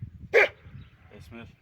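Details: A Kangal shepherd dog at a Turkish village entrance gives a single loud, harsh bark, one of the village dogs barking to meet arriving visitors, with quieter voices and noise around it.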